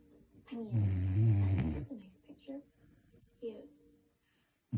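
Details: A Vizsla gives a deep, rumbling snort, then softer snuffles and a few quick breaths.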